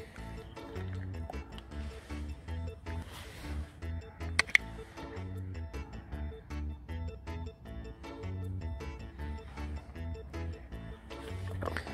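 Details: Quiet background music with a soft beat and a brief click or squish near the middle; no animal voice stands out.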